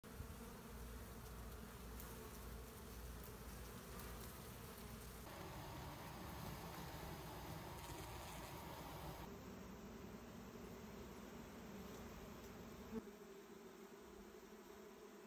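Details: Honey bees are scooped up by hand during beekeeping. A dense, steady swarm buzz runs throughout, a low droning hum without breaks, with faint rustling and a single soft click near the end.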